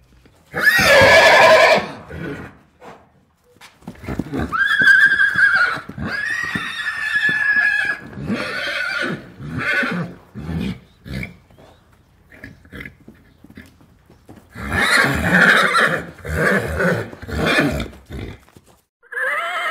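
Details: Horse giving a loud whinny at the start, then a series of shorter nickers and snorts with quieter gaps, closing with another strong quavering neigh burst.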